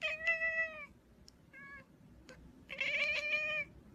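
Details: Cat meowing: two clear drawn-out meows, the second longer and rising slightly, with a brief short mew between them, over a quiet low background hum.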